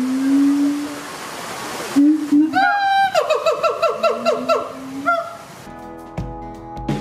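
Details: Zoo-kept siamang family in Tampa, Florida, parents Hutan and Sensei duetting with baby Kazuki: wavering low hoots, then a fast burst of ringing barks in series, ending in added music.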